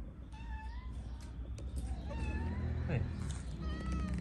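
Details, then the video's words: Homeless cats in Morocco begging for food; a few thin, drawn-out meows, wavering and slightly rising, sit over a low rumble of street noise, with a human voice in the background. "The cats heard a cat meowing for food, so they all came."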